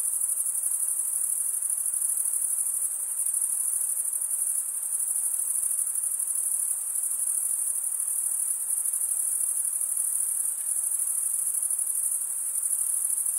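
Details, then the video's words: ['Chirping crickets, sound made by males scraping wing against toothed wing, blend into a constant high shimmering drone with gentle swells in volume and no other animals or noise.'] "cricket sound"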